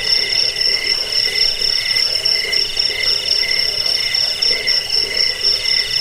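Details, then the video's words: Cricket recording used to repel rats, as a sleep aid and for training songbirds: steady high pulsed chirping with a bright ringing tone over fainter lower pulsing bands, continuous without pause. "Suara jangkik pengusir tikus pengantar tidur"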